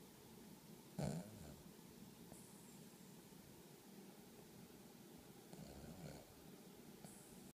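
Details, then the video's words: Small pet dog in deep sleep at 6:00 am on a Monday in a living room, snoring with a gurgling sound; low rough breaths roll steadily through the clip, with a brief louder snort near the start. "My dog snores like an old man."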